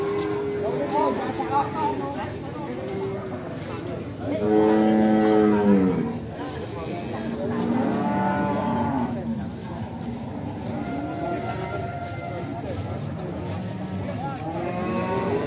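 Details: Pegon cattle at Bekonang livestock market, Sukoharjo, Indonesia, where a prized Pegon calf is offered for sale; repeated moos of varying pitch, one loud bellow around the middle, amid crowd noise and chatter.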